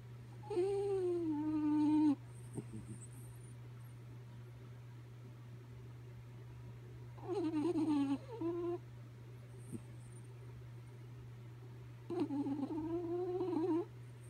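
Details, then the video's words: Sleepy dog Kaya Boo snores loudly: drawn-out, whining, whistle-like breaths with wobbling pitch last up to two seconds and repeat about every five seconds, with a constant low hum behind them. "Sleepy Kaya Boo Snoring"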